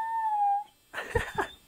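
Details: Gizmo, a pet husky, 'talking' as he tells he wants his mammy: a steady whining tone held for just over half a second, slightly falling at the end, followed after a short pause by brief muffled bursts of sound.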